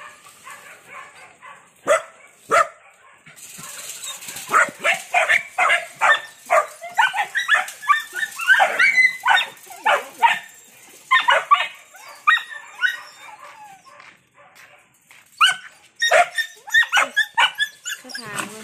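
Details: Several Belgian Malinois kept as protection dogs bark loudly and excitedly, short sharp yaps tumbling over one another in rapid overlapping runs. Brief lulls break the chorus before it starts again, with some whining and a hint of human voices.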